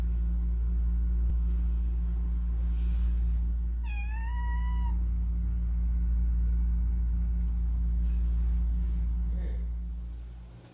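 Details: Single drawn-out meow from one of ten rescued pet cats, wavering then rising slightly before ending. A constant deep mechanical hum fills the background, with faint rustles.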